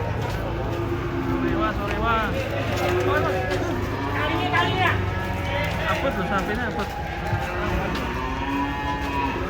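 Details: Cattle being unloaded from a truck, a cow jumping down and falling: drawn-out, low, droning moos that overlap and sustain for several seconds, with human voices and a steady background rumble throughout.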